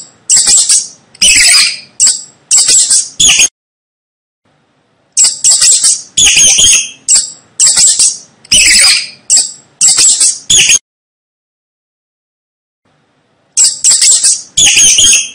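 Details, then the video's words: A rat squeaking on a roof at night gives shrill, high squeaks in quick bursts, separated by short silent pauses. "Tiếng chuột kêu Hình ảnh và tiếng kêu con chuột"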